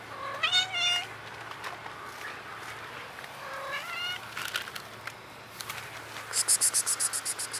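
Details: Blue-eyed kitten found in a basement gives two clear, high, harmonic meows, each rising then dropping, a few seconds apart; later a quick run of very high, rapid chirping pulses follows over a steady low hum.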